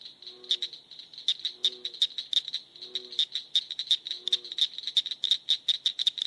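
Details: Northern cricket frog (Acris crepitans), a small frog, gives sharp, high clicks that speed up like a rattling ratchet, likened to a cricket, two stones knocked together, or a socket wrench ratchet.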